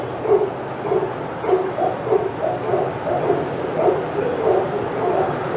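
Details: Senior dogs in an outdoor yard at Old Friends Senior Dog Sanctuary go crazy as Titus walks past, giving a steady stream of yappy barks roughly every half second over a low background hum.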